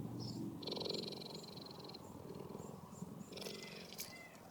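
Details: A female cheetah at the National Zoo & Aquarium in Canberra purrs like a domestic cat, a sign of being happy, with a low, steady, rumbling throb as loud as a house cat's while small birds chirp overhead.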